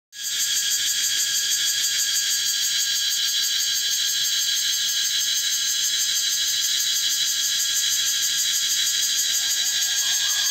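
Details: A cicada in Phuket, Asia, gives a loud, continuous high-pitched buzzing drone that never lets up, like an alarm clock.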